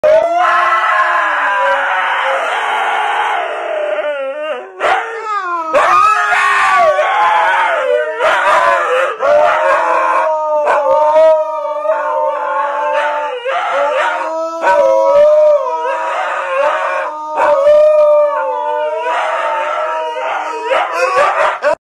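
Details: Dog howling continuously, long wavering tones that rise and fall, broken by short gaps and yelping breaks, with loud sustained cries over about twenty seconds.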